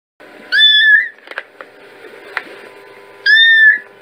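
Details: Kittens meowing: two clear, drawn-out meows with a slight upward bend, about three seconds apart, over a steady low background hum and a few soft knocks.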